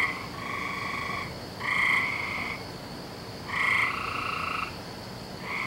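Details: Night frog calling on 17 May 2012: broad, buzzy, harmonic croaks about a second long, coming in overlapping pairs every two seconds or so, against a steady low hum.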